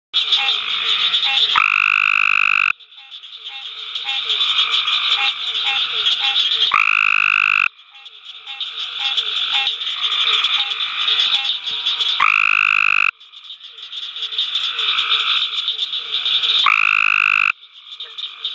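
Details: Adult male Cope's gray tree frog calling at night at the University of Mississippi Field Station: loud, harsh, rapidly pulsed trills lasting about a second, repeated every four to five seconds over a steady high chorus of other callers.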